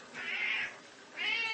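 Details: Siamese cat indoors giving two drawn-out, high meows, the first longer and wavering, the second rising after a short pause; faint room background.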